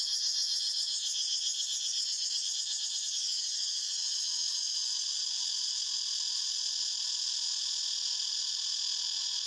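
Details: Continuous cicada buzzing in forest, a piercing metallic whir with rhythmic pulsation, strongest at the start then holding level, a lower murmuring layer running beneath.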